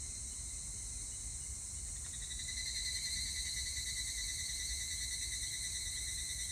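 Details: Evening cicada recorded 25 July 2019: a quiet insect background, then from about two seconds a louder ringing song with quick even pulses, backed by continuous high-pitched insect hiss and low rumble.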